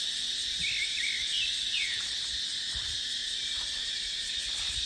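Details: Cicadas droning in dry dipterocarp woodland in the dry season: a continuous sizzling high hiss, with a few brief sliding chirps early on and scattered low thumps of wind.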